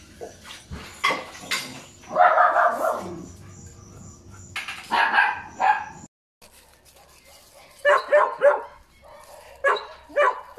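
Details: Puppies giving scattered short barks and yelps with pauses, a longer whining cry near the start and a brief silent gap midway; several young dogs seem to call over one another.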